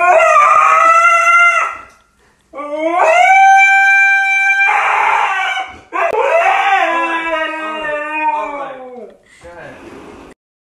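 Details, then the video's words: Siberian Husky screaming indoors in protest at not being let outside: a series of long, loud, harmonic howling screams with rising starts and wavering pitch, separated by short pauses, ending in a hoarser, broken cry. "screaming husky"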